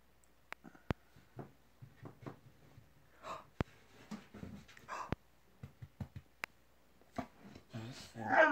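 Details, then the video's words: Simone, a Bull Terrier, talks to her owner indoors while playing with her blanket; a series of short low grunting and moaning vocal bursts with sharp clicks and a louder whine rising at the end. "Simone the Bull Terrier Talking to Mom"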